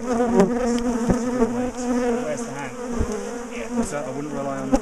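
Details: Large colony of honey bees being dismantled, split and moved from a top bar hive in a garden, a defensive colony that chased its owners; dense loud buzzing with wavering harmonic hum, occasional knocks and faint speech.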